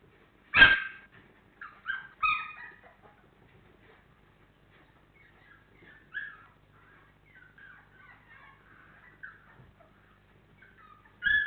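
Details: A litter of 28-day-old Labrador Retriever puppies whines softly. Short high cries and squeaky whimpers recur throughout, after a sharp thud at the start and another knock at the close.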